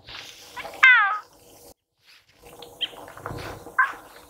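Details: Female puma calling for a mate near Torres del Paine National Park, Chile, 13 April 2019: one strong, wavering, descending yowl near the start, then quiet with a few faint, short squeaks and soft background rumble.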